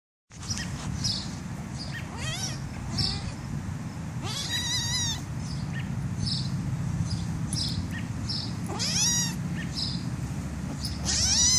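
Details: Black kitten being tickled by a person: several short high rising squeaky meows scattered across the stretch, with soft scratchy rustling and a low steady hum underneath.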